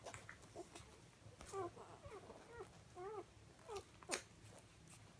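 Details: Four Siberian Husky puppies at feeding time, giving a run of short, wavering, rising-and-falling whimpers in the middle of the recording, with scattered clicks and bumps from the room.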